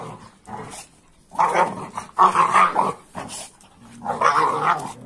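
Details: During rough playing, an AmStaff and a Kuvasz let out snarling growls and grumbling barks, starting softly and then building to three louder, gravelly bursts.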